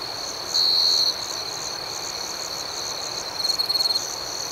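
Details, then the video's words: A night chorus of crickets with high continuous chirping. A loud half-second trill comes early, and a stuttering series of quick chirps follows near the end. "Soothing Cricket Sounds"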